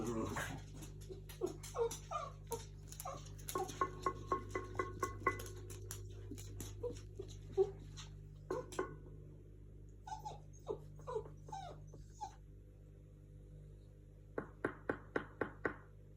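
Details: A small rescued female black Pug–Chihuahua cross reacts to knocking with quick, clipped barks and a few higher whines in uneven bursts, amid sharp knocks, a person asking questions and a low room hum; recorded in July.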